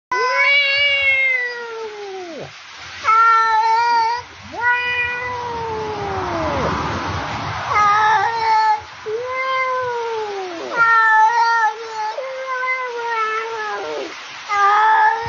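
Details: Cat meowing loudly and repeatedly, drawn-out wavering cries with strong harmonics, some falling at the end, others short and clipped, about ten calls in fifteen seconds with brief pauses between them.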